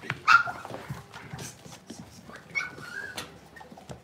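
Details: Cavalier King Charles Spaniel puppies playing indoors in a home puppy pen: short high whimpering yelps and thin whines, with a sharp squeak near the start and another rising whine midway, over soft scuffling.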